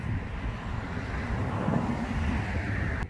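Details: Only a low, steady rumble of wind and passing vehicle noise is heard, with no animal voice.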